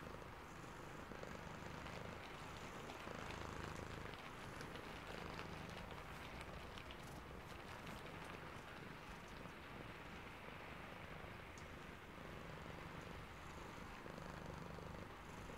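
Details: Sleepy cat purring under rain: a steady low rumbling purr with faint pulsing swells, beneath constant hissing rainfall across the whole recording.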